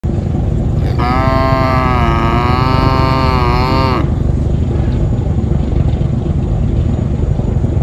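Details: An albino white carabao, an Asian water buffalo from the Philippines, gives one long, rich, moaning bellow of about three seconds, steady and then dipping at the end, over a continuous loud engine rumble.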